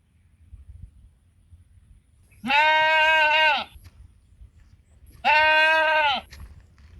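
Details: Sheep on a mountain give two drawn-out, wavering bleats, each about a second long, calling flock mates over to feed.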